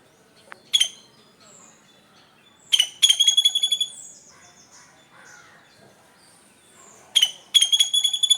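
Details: Squirrel calling in the morning: sharp, high, squeaky chirps in clusters of quick notes, separated by pauses of a few seconds, with faint softer sounds between.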